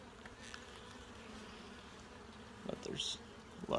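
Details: Honey bees in an open hive during inspection, with larvae and brood being checked: faint continuous low hum under light handling clicks, then a louder scrape and a burst of sound at the end.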